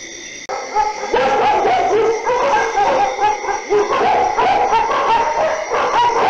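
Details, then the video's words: Several dogs barking at night, a dense overlapping chorus of harmonic barks and yelps packed close together with almost no pauses, after a brief quiet opening. "DOGS BARKING DURING NIGHT - DOGS BARKING - DOG SOUND"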